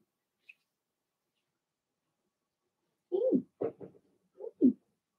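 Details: Blenheim Cavalier King Charles Spaniel puppies from a litter of six born in early March, kept in an indoor puppy pen during potty training: near silence, then a quick cluster of short, falling whimpers and yelps, each under half a second.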